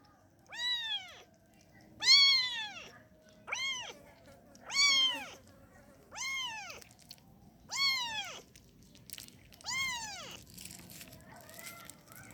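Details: A kitten wanting to nurse gives seven loud, evenly spaced meows, each a rising-then-falling arch with strong harmonics, about one every 1.5 seconds, over a quiet background.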